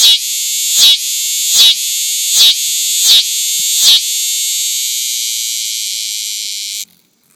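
A cicada gives a loud, high, shrill buzz, pulsing about every second before settling into a steady drone.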